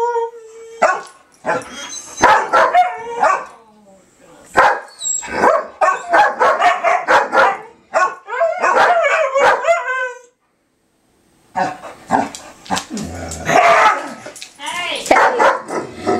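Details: Dogs on the 4th of July, 2012, in a dense chorus of howls, yips and barks with many broadband bursts, a short silent gap, then more yelping and howling.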